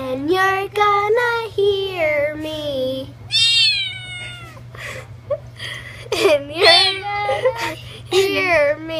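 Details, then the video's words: Domestic cats and kittens meowing indoors, a run of drawn-out, wavering meows that rise then slide down, several overlapping calls of varying pitch in quick succession, with brief gaps and a steady low hum underneath. "Funny Cats And Kittens Meowing"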